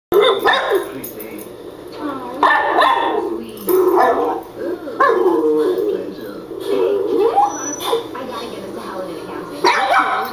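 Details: A pet dog barking and yipping in a home after hearing its own recorded voice played on a computer; sharp repeated barks in bursts, mixed with a person talking to it and some background music.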